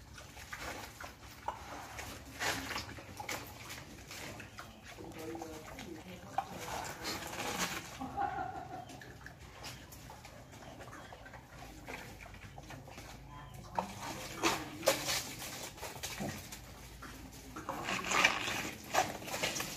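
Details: Wild boar eating jackfruit gives wet, crunching chewing sounds in irregular bursts, with occasional soft snuffles and grunts; louder smacks stand out toward the end over a faint background hum.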